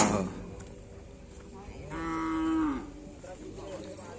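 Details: Cattle at a karapan sapi (bull racing) practice on the Aseamanis field in Pamekasan, ahead of the Bayangkara Cup and Bupati Cup. A single drawn-out moo holds a steady pitch, then drops at the end, over a steady crowd murmur. A sharp burst opens the recording.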